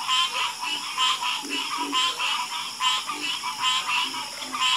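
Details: Night chorus of frogs, rasping pulsed croaks repeated about every second, many callers overlapping, with low grunting notes between them.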